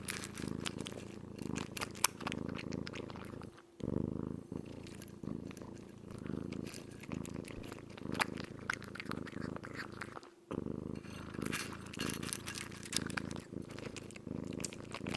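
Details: Kitten fully absorbed in eating; a low, rumbling purr in bursts alongside wet chewing and crunching sounds, with brief pauses near four and ten seconds.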